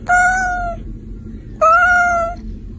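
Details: Pet Persian cat giving two loud, steady meows, each held level for under a second with a rich tone, separated by a short pause, in a quiet setting.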